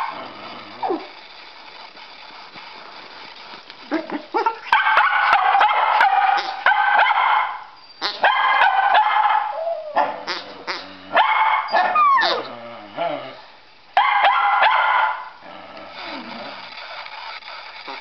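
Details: Dogs named Chauncey and Murphy indoors: Chauncey barks for a ball while Murphy whines at being held back; bursts of sharp repeated barks come in clusters with pauses, mixed with higher whines.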